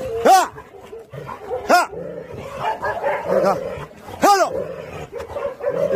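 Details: Pungsan dogs in a kennel as an outside Pungsan dog is introduced, with a rank fight led by a ten-year-old lead dog; loud arching barks at about 0.3, 1.7 and 4.3 seconds over continuous lower yipping and growling, with music faintly behind.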